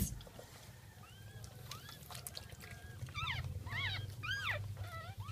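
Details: Jack Russell Terrier during the birth of its second litter, early morning of 17 October 2014; soft whines at first, then sharp arched squeals, several in quick succession near the end, over a low rumbling background.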